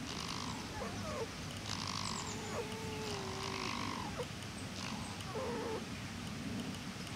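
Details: Mother and daughter fox conversing, behaving playfully: soft, wavering whine-like tonal calls, some drawn out and some short, trading back and forth over a steady background hiss.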